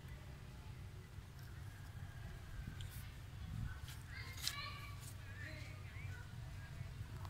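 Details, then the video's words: Unhappy infant monkey Sweetpea, turned away from mother Popeye who rejects nursing, Angkor area of Siem Reap, Cambodia: several brief high wavering squeaks clustered mid-clip, soft against constant low-pitched outdoor rumble and scattered clicks. "A Little Sweetpea face back cos unhappy while mom Popeye reject milk"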